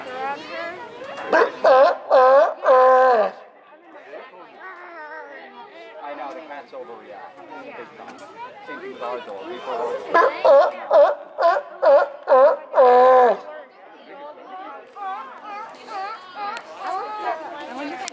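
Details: A sea lion in the water gives very loud, harsh barks in quick runs, with people chattering in the background.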